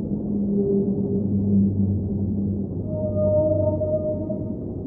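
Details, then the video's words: Whale song in deep water: low wavering moans with broken, pulsing overtones early on, giving way to a higher, clean sustained tone, all over a steady low underwater hum. "Underwater Whale Sounds - Ambient Soundscape | Whale Singing"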